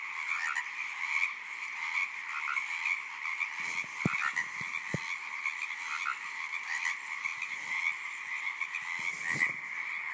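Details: A thick chorus of tree frogs keeps up a constant trilling croak, with several sharp low thumps or clicks near the middle and toward the end cutting briefly through the calling.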